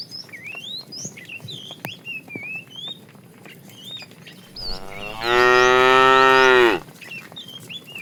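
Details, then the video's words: Morning scene of tame cows being herded and running to a green pasture: small birds chirp for several seconds, then a single loud drawn-out moo, harmonic and steady, lasts about one and a half seconds. "Funny cow sounds"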